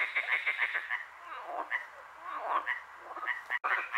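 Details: Frogs chorusing at night in Hłomcza, Sanok commune, Poland; bursts of short rattling croaks from several callers, thinning briefly in the middle before picking up again, with one sharp click-like dropout.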